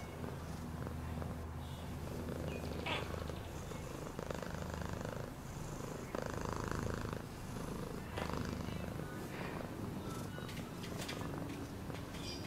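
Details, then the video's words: Domestic cat purring, offered for relaxation and sleep: a steady low rumbling throb with faint breathy swells, interrupted by brief higher clicks and rustles. "Cat purring sound"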